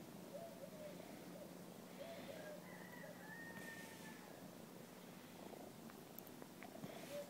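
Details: Kitten that regularly plays with a person at an apartment building's parking lot purrs during play. Continuous low vibrating hum, with brief faint whistly tones drifting over it in the middle.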